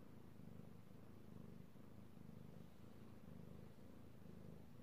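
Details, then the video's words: Domestic cat purring while being petted, recorded 16 March 2018; a steady low rumbling purr with soft pulsing swells roughly once a second, alternating inhale and exhale, continuous throughout. "ASMR Cat Purring"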